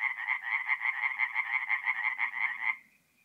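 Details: Night chorus of tree frogs at a forest pond in north-eastern Italy, mid-April: fast rattling pulsed notes, several per second, that stop abruptly near the end, leaving near silence.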